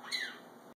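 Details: A female serval gives a single high, bird-like chirp that slides downward in pitch while she eats.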